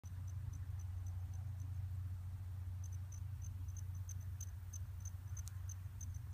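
A bumblebee's low, steady droning hum in flight, with faint high ticking chirps above.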